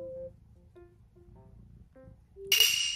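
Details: Soft plucked musical notes play quietly, then a sudden bright, hissing burst of noise comes near the end, with no animal voice.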